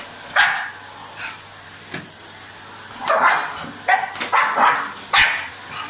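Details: Dog attacking a vacuum cleaner, giving quick high barks and yips in a clustered run over the machine's constant whine.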